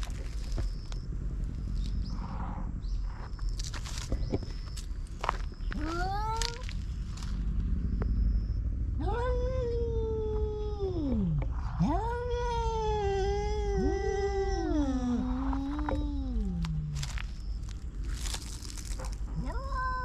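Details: Silver tabby-and-white cat driving an intruding orange tabby from its territory: a run of drawn-out moaning yowls, rising then dipping and sliding down, some several seconds long, over steady low outdoor rumble and clattering.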